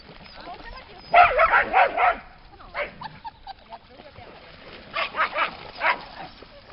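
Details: Summer day by the lake at Lida Nature Reserve, with dogs giving a rapid burst of about five harsh barks, a pause, then another quick series of barks against soft background sound.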